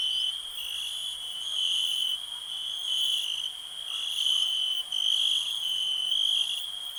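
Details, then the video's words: Continuous high-pitched cricket trill in a relaxing nature soundscape, steady in pitch, with gentle surges in loudness over about seven seconds. "Nature sounds, cricket relax"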